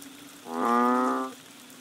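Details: Banded bullfrog calling during the rains in Thailand in March, just outside a bungalow door on Koh Lanta: a single loud, lowing moo-like note lasting under a second, rich and harmonic, over a steady low background hum.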